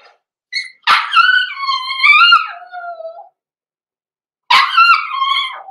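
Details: Blenheim Cavalier King Charles Spaniel puppies, six weeks old, born November 14, 2022, indoors in their puppy pen: a sharp yip bursting into a long, wavering, rising-then-falling howl, followed after a pause by another harsh bark-howl.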